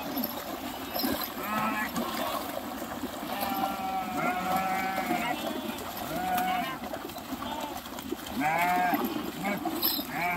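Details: Sheep crossing a river, swimming and jumping in, give scattered wavering bleats every second or two over a steady rushing wash of water and background noise.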